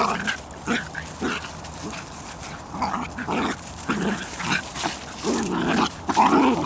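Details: Bedlington Terrier puppies walking with their mother Leya from the Airy Step kennel, making scattered short growly and whiny bursts at irregular intervals, louder toward the end, over rustling outdoor background.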